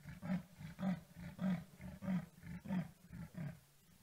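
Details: Wild male leopard at sunset in Djuma Game Reserve, South Africa, on his nightly patrol, scent-marking and announcing his presence in his territory: deep rasping sawing strokes, about seven, rhythmic, each roughly half a second apart, fading at the end.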